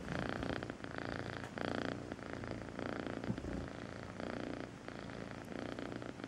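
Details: Purring from Melissa, a rescue cat taken in at two months old: a close, rattling low purr in breath-long bursts, each inhale and exhale phase lasting about a second, with a soft thump midway.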